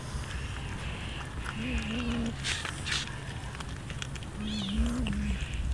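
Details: Hungry stray cats fed raw fish; two low, drawn-out meows about three seconds apart over steady background noise and faint clatter.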